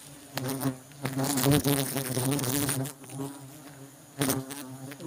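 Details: Honey bees during honey harvesting: a dense, low droning buzz with layered harmonic bands that swells and fades, broken by sharp clicks and rustling handling noises.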